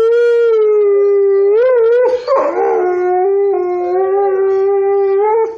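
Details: Montana grey wolf giving a steady, pure howl that swells upward twice, breaks roughly midway with a brief rough crack, then settles into a level, slightly lower sustained tone until the end.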